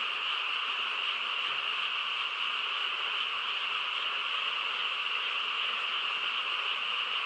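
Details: Frogs chorusing on a quiet countryside night, a dense, unbroken wall of overlapping calls with bright bands in the mid and high range, steady in volume throughout, with no other clear sounds.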